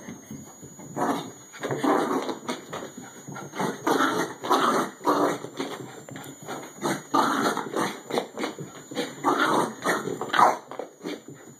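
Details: While running laps of the "Bichon racetrack", an aged 14-year-old Bichon Frise gives a steady run of throaty, breathy snorts and grunts, pulsing several times a second across the whole stretch.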